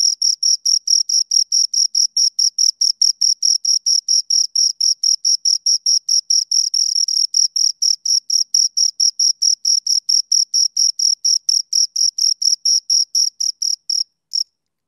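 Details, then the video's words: Close crickets giving fast, regular chirps, high and shrill, pulses packed about three per second for fourteen seconds before a brief gap, one last chirp, then silence. "Two Crickets Chirp Sounds"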